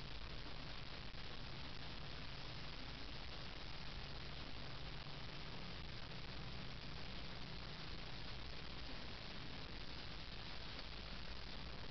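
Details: Steady, dense broadband hiss like rushing water or wind fills the recording, with no animal sound standing out.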